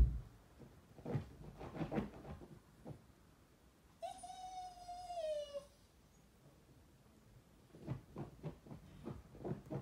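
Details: Shiba Inu indoors, giving one drawn-out, clear tonal whine lasting under two seconds. It holds a steady pitch, then dips slightly at the end. Brief, soft knocking and rustling noises come before and after it.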